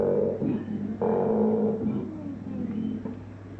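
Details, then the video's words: A koala at a wildlife park gives harsh, droning, engine-like calls in a few rough pulses. "featherdale wildlife park - koala making strange noises"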